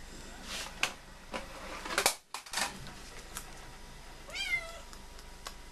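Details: Visiting female cat giving one short, wavering meow indoors after a run of tapping and rustling noises.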